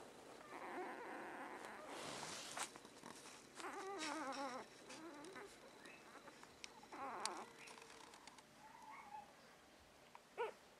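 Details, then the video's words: Shiba Inu puppy, 6 April 2013: bursts of quavering, nasal whines with warbling pitch, separated by pauses, plus scattered clicks and knocks and a brief high squeak toward the end. "Shiba pyppy"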